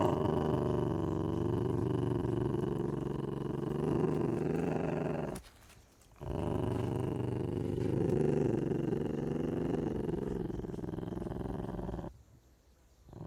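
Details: Ocelot (Leopardus pardalis), growl.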